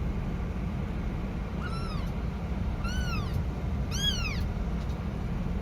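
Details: Baby cat crying for its mother, giving three thin arched mews that grow louder, the last two close together, over constant low-pitched background rumble.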